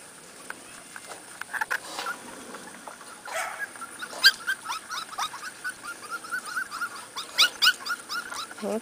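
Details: Corgi puppies on their first outing outdoors keep up thin, high squealing whimpers in irregular runs, growing busier toward the end, mixed with rustling, a sharp tap and a woman's voice nearby.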